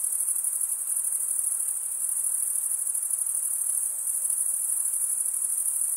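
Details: Male crickets stridulating, rubbing one wing along the toothed vein of the other: a dense, continuous high-pitched trill that holds steady without pause, with a faint soft hiss underneath.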